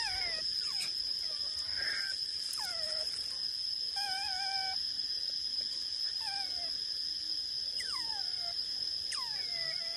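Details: Morning feeding in the mangroves, small-clawed otters calling for mullet: repeated thin squeals that drop in pitch, a brief level whining tone mid-way, and a constant shrill hum throughout.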